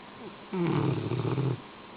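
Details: A sleeping Rottweiler gives one deep, rough, rattling snore lasting about a second.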